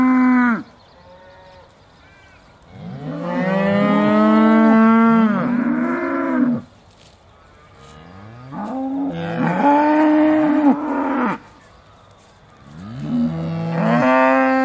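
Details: Aussie Red cows at Beaulands, December 2012, about to be milked: several loud sustained moos, some overlapping, rising at the start and steady through the middle, separated by quieter stretches.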